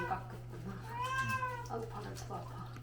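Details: Pharmacy cat in Hongdae meowing during a bath in a small room: a single drawn-out, arching meow midway, with a person's complaining voice about scratching claws and a constant low electrical hum.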